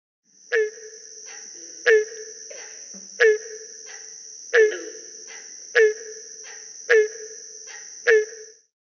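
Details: Barking Treefrog calling during breeding, with green frogs calling in the background: hollow, barking notes repeated about every 1.3 seconds, each with a bright attack and fading tail. A faint lower croak sounds once, over a steady high-pitched whine.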